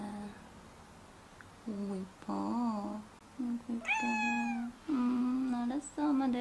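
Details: Domestic cat indoors crying in protest when its owner tries to pick it up and hold it. It gives a series of drawn-out, whiny, quavering meows, some rising then sagging, separated by short pauses.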